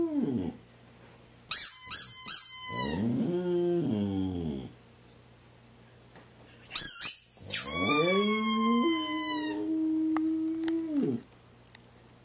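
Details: A female Boxer dog howls in long, wavering tones in response to bursts of shrill squeaks from a toy, and afterwards wants to play.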